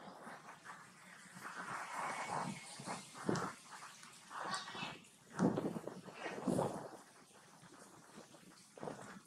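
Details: Young monkey crying loudly for milk from its mother while being weaned; harsh, noisy bursts come in irregular clusters, roughly five or six loud cries across nine seconds, with quieter breathy sounds between them.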